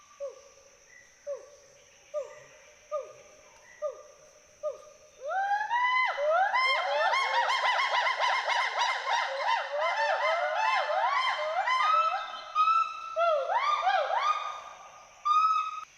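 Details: Two endangered Western hoolock gibbons play, climb and swing through forest trees in Hollongapar Gibbon Sanctuary, Assam, giving rising whooping hoots that speed up into a dense, overlapping chorus, a social and territorial call.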